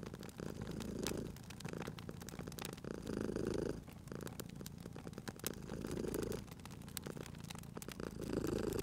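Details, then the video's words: Purring cat asleep by a crackling fireplace, spring ambience; deep rhythmic purr pulses about every two and a half seconds, each swell lasting near a second, over constant sharp wood crackles. "Cute Purring Cat at a Crackling Fireplace"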